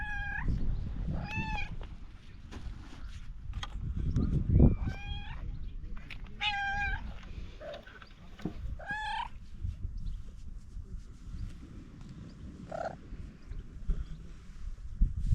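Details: Stray cat meowing outdoors in a series of harmonic, rising-then-falling meows, several in quick succession during the first ten seconds, then a couple of softer ones, over low rumbling background noise.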